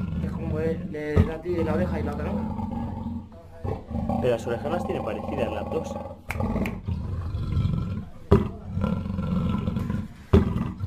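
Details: A black panther, a black-coated leopard, gives deep, rasping roars and growls, with a human voice talking over them.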